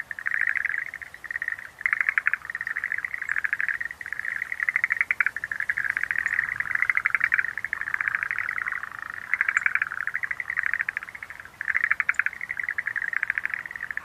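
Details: Schlegel's green tree frogs in a dense, nearly unbroken chorus of rapid rattling pulse trains, the bursts overlapping with only brief gaps over fourteen seconds.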